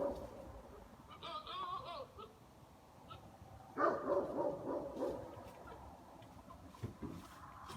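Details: Buck goat BB-8 during rut, calling in the evening: a short quavering tonal cry early on, then a loud rough snorting burst lasting about a second, followed by fainter rasps over low background noise.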